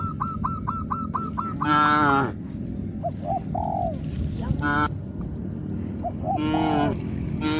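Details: Tame traditional village cattle in a herd, calling to companions, lowing in three harmonic moos of about half a second each, with a rapid series of short, repeated higher notes from other animals running alongside.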